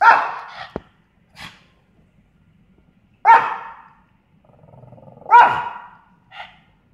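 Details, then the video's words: Pet dog barking at a fake garage door notification: loud harsh barks at the start and near the third and fifth seconds, with short quieter yips between and a low rumbling growl before the last bark. "Gobi barking"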